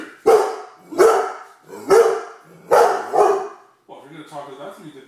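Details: A female Great Dane demanding her dinner gives four loud, deep barks spaced under a second apart, then a person starts speaking.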